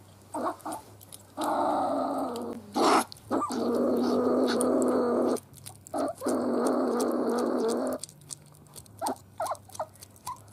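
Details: Sable, Martes zibellina: two long, drawn-out, rasping growls of several seconds each, separated by a short sharp note, then scattered soft clicks and chatter as the growling stops.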